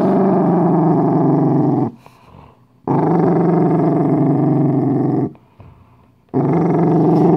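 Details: A Dachshund, scared while eating a homemade treat, gives two long, continuous low growls. Each is rough, buzzy and even in tone, and the two are separated by about a second of near silence.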